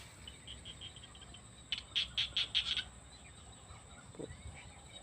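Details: Small rice-field frog (khiat jina) calling in a rice field in the evening: a quick run of five bright, high chirps near the middle, fainter chirps earlier, over a steady high insect-like hum and soft rustling.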